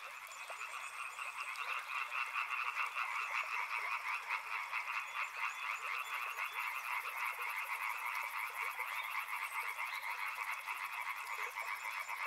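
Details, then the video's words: Frogs croak in a thick, unbroken chorus, quick rattling pulses stacked in two bands, swelling in the first seconds; a faint high insect-like buzz joins midway. "Frog Sounds | Soothing sounds of river and frogs"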